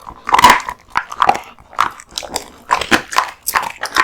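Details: Kotetsu, a male American Bully dog born 2016, eats raw meat and bones in a mukbang-style recording: loud wet crunches and bites in uneven bursts with short quiet gaps between mouthfuls.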